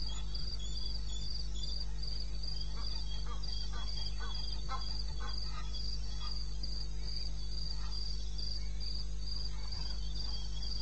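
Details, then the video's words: Crickets calling in the wilderness of eastern Botswana, recorded at 02:30 at night in May: steady pulsed high chirps in rapid regular series over a constant low hum and faint background rustle. "1 Hour cricket sound-Africa-No loop-Real recording"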